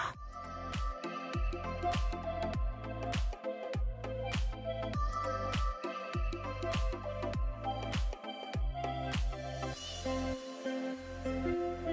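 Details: Electronic dance music with a thumping regular beat and layered synth tones fills the whole stretch; no animal calls stand out.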